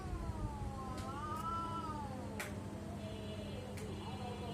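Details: A house cat makes a weird sound: one long, wavering, moaning yowl that swells and sags for about three seconds, ending in a fainter drawn-out tail, with a few sharp clicks and a low background hum.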